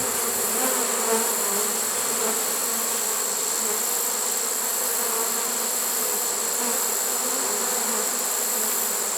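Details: Honey bee swarm caught in a swarm trap late in the season, 1 September 2019: a dense, steady, even hum of many bees that holds unbroken throughout, with no other sounds.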